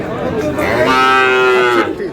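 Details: Friesian and crossbred bull calves at Aftabganj cattle market in Dinajpur, Bangladesh: a sustained, steady moo lasting about a second, rich in harmonics, amid market chatter and bargaining voices.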